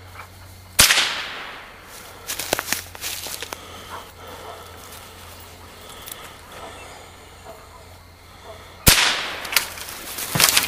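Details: Two sharp whip-like cracks near the start and end stand out over a steady low hum, with scattered clicks and faint rustling outdoors.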